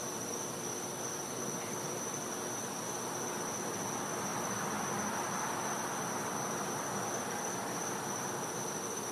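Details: Cicada recorded in a Florida back yard on a winter night; an even, high-pitched ringing persists throughout, with faint pulsing in the lower noise and a constant hissy backdrop.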